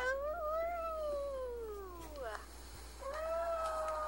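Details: Five-year-old pet Chihuahua howling, said to be sad because a female dog nearby is in heat and he cannot get close; long tonal wails sliding slowly downward, a short break, then a higher rising wail held steady.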